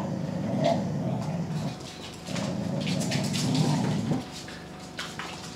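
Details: Winja, a mother dog in a kennel with her puppies, growls to keep them away from her prey; low rumbling growls run about 1.7 seconds, pause, then resume for nearly two seconds, with faint puppy whimpers and rustling around them.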